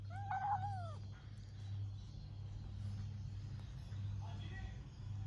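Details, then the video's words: A pet cat in a big fight with its owner gives one loud, wavering meow of about a second, rising then falling. Low indoor hum follows, with a faint short call near the end. "Me And My Cat Big Fight"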